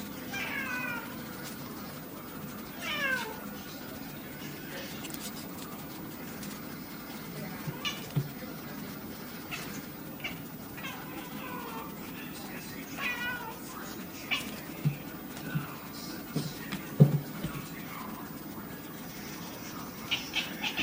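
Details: Pet cat barking and growling while playing, recorded on an iPod: short, chirpy, downward-sliding calls in small bursts, mixed with scattered thumps and clicks from play and a faint low hum.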